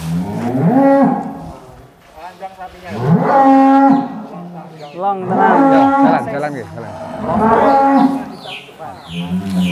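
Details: Angus bull Douglass, billed as the biggest cattle in Indonesia and 'king of Angus cattle', lowing in deep, drawn-out moos of about a second each, repeated four times over ten seconds, with faint human voices between.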